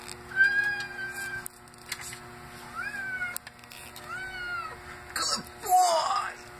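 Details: Simba, a male domestic cat taught to meow "I love you", gives several drawn-out, tonal meows that rise and fall between human talk; he wants to go outside at about 39°F.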